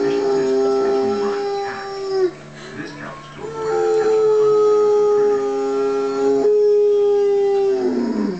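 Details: A Mastiff gives two long, steady howls while watching a wolf documentary on TV, answering the wolf howls from the program.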